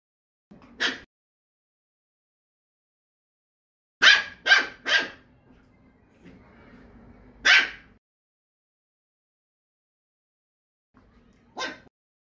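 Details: House poodle barking, from the pair Iruma and Dory with Dory out of the fence on a leash. A single bark, a rapid triple burst, a lone loud bark after quiet rustling, and a last softer bark, separated by silences.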